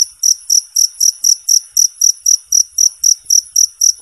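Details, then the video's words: Clear cricket chirps, recorded as a tutoring sound for competition songbirds: about fifteen sharp, high-pitched pulses in quick, even succession, each with a slight ringing overtone, background otherwise silent. "suara jangkrik bersih dan jernih"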